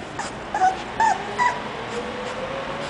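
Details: English Bulldog, likely a young puppy from a breeder, giving three short high whimpers, each a brief wavering whine about half a second apart, over a steady background hiss.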